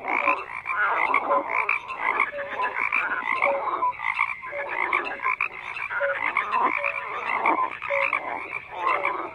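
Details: Frogs croaking in a dense chorus, many overlapping callers giving short pulsed croaks and brief whistled notes, busy and continuous with no gaps throughout.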